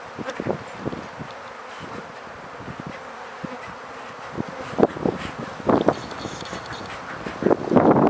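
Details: Honey bees being caught and handled while new hives are set up and fed, the queen marked with a red dot; a low, steady buzzing drone under repeated knocks and handling clatter.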